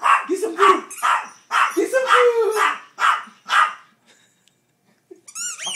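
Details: A four-pound dog demanding its food lets out a run of shrill, rapid yapping barks, roughly two per second, then falls quiet before a short high squeak.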